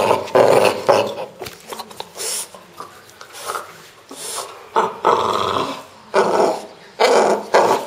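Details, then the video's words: French Bulldog named Pro producing odd, throaty growl-like noises: uneven bursts of raspy, mid-pitched grumbling separated by quieter breathy pauses, some louder and longer than others, with nothing else prominent. "My French Bulldog making strange sounds!"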